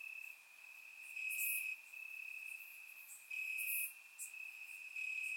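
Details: Night chorus of crickets in Bulgarian grass on a warm summer night, surround-microphone recording: an unbroken high-pitched ringing trill, growing louder in two long surges, with two sharp hissing bursts above.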